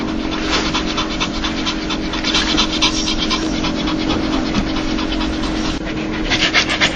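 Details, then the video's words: Joyful dog's 'laugh': fast rhythmic panting, roughly four breathy puffs per second, fairly even throughout, with a low steady hum beneath. "강아지웃음소리 강아지 행복할때나오는소리"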